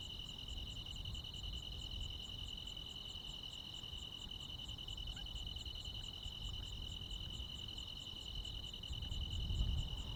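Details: Crickets and other insects on a midsummer night in the Korean countryside: steady high trilling in two continuous bands, overlaid by a faint rapid series of sharp, very high pulses repeating a few times per second, with low rural background rumble.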